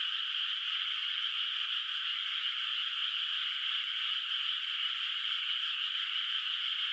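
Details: Moonlit, unplanted rice field in the countryside at night where frogs call from afar; their many voices blend into a seamless, sustained, high buzzing chorus without pauses or other sounds.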